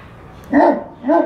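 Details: Dog barking, confused and angry at strange noises made by people nearby: two short, clipped barks about half a second apart, each a brief tonal burst over a quiet background.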